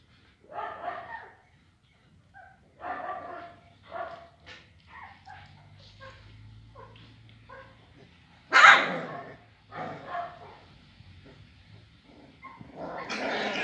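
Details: Rhodesian Ridgeback puppies, described as aggressive, giving short, scattered barks and yaps in uneven bursts over the clip, with a sharper, louder bark just past the middle and a rising burst at the end; quiet pauses between calls.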